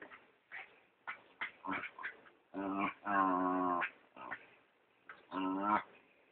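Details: The PeeWee, a brown dachshund/chihuahua mix, pesters his housemate dachshund Dr. Weener during play, filmed on a phone. Short scratchy snorts lead into two longer, nasal, harmonic squeals that sound pig-like, with brief gaps between bursts.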